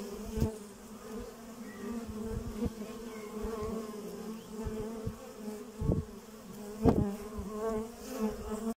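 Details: Honey bees from a beekeeper's hive, hard at work, give a steady, low droning hum, with louder buzzes as single bees fly close by.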